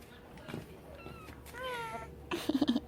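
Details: Stray cat at snack time gives a short, tonal meow that rises and then falls, lasting about half a second. A woman speaks softly in Korean around it, and there is a low room hum.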